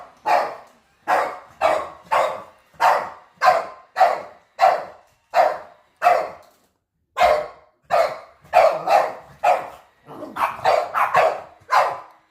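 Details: Pet dogs barking on first sight of a robot vacuum: about fifteen sharp barks spaced roughly a second apart, a brief pause near seven seconds, then quicker overlapping barks toward the end.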